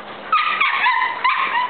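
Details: Big and little dogs at play, giving high, thin whining yelps in three quick bursts, each sliding in pitch, over a soft hiss of background noise.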